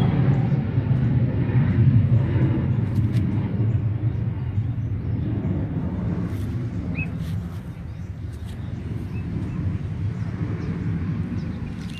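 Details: Steady low rumble of passing traffic and outdoor background noise, with no clear animal calls.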